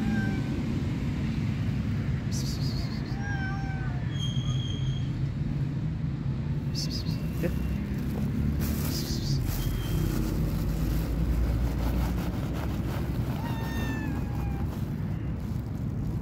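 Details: Stray cats on the street, a shy one waiting to be greeted: several short, thin meows scattered through the clip, mixed with a person talking and constant low traffic rumble.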